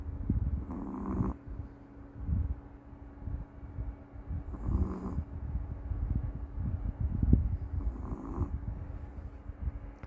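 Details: Rescued Maltese named Meoteol asleep and snoring, deep gravelly inhalations swelling into a hissing snort roughly every three and a half seconds, with a soft rumble between breaths over a steady low hum.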